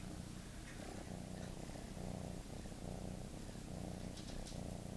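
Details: Continuous low purring from pet cat Teddy, a deep, even throb with a gentle rhythmic pulse and small swells in loudness, close to the microphone.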